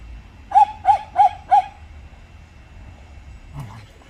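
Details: Jindo dog at a glove factory, where Dongdong, Miso and Jangbi reconcile after a dog fight; four quick, evenly spaced barks in a burst of about one second, then quiet with a low outdoor hum and a brief knock.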